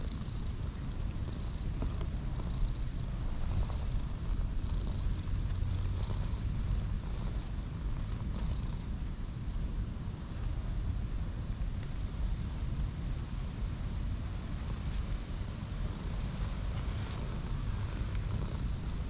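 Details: Cream and orange tabby stray cats pressed together on grass in a park for warmth give an unbroken deep purring rumble, with faint distant bird notes and light ticking noises behind it.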